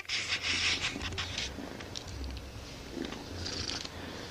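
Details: Siamese kitten purring very loudly indoors, a low rumbling purr rising and fading in short phases with each breath, over scratchy rustling and handling noise.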